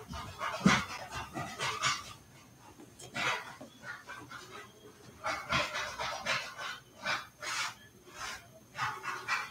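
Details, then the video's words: Indoor play among Cavalier King Charles Spaniel puppies raised in a house: soft rhythmic huffing and panting breaths, pulsing at roughly half-second intervals, with light rustling. "Cavalier Puppies Live: Puppies Play in the House!"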